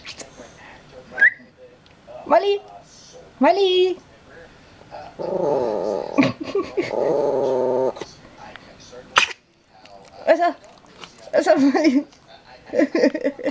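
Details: Old Yorkshire Terrier Molly growls indoors for about three seconds in a steady low rumble, framed by short whimpering yelps and Danish-speaking human voices before and after.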